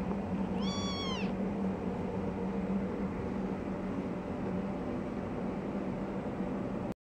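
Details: Tiny orange foster kitten, three weeks old, at play attacking a ribbon and running around; one thin, high arched mew near the start, then only steady low background hum.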